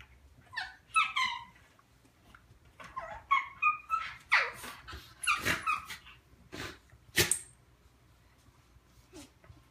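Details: Two pet dogs, Looey the Morkie and Butterball the Schnauzer, play-fighting and wrestling indoors, Butterball making a funny noise: squeaky, whiny high-pitched calls and short yips in scattered bursts, with scuffling between them.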